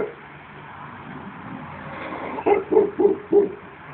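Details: Shar Pei named Sally, a 15-year-old dog, giving four short barks in quick succession near the end, each about a third of a second apart, after a stretch of low background hum.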